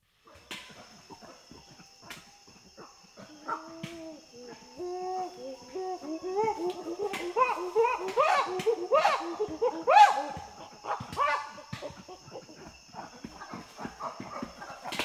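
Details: Chimpanzees in Tai Forest, Ivory Coast, West Africa, panting and giving feeding grunts: short tonal grunts with stacked harmonics that start sparse, then overlap in a dense, excited chorus of rising and falling calls before easing off.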